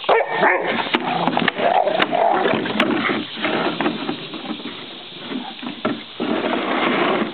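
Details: A Rottweiler barks deep and rough in rapid, uneven bursts at home, reacting as a person urges it to attack, as if warning off intruders.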